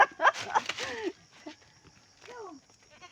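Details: Pet goat bleating while its owners treat it in the countryside; two wavering, downward-sliding bleats, the first tangled with people talking and the second clearer after a short quiet pause.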